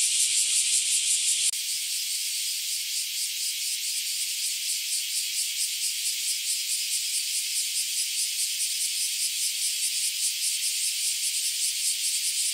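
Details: Bear cicada chorus near a home during a spell of hot days; a brief louder hiss gives way to a steady high buzzing with clear rhythmic pulses, about two per second, many insects calling together.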